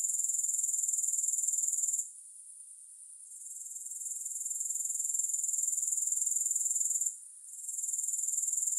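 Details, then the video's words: Grasshopper sound without music: a bright, high insect trill ticking at about four pulses per second, quieting twice, once for over a second around two seconds in and again briefly near seven seconds. "3 Hours of Grass Hopper Sounds"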